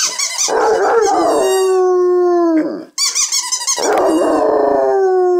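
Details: Two-year-old Basset Hound howling loudly indoors: rough barking onsets slide into long, mournful, steady tones that fall slightly in pitch, two drawn-out howls separated by a brief pause.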